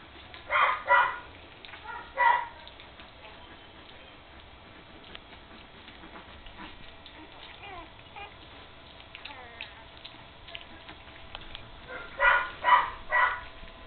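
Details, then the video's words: First time playing together for three-week-old puppies: a burst of loud yelps at the start, a long quieter stretch with faint rustling and squeaks, then another close run of three sharp yips. "Puppies playing"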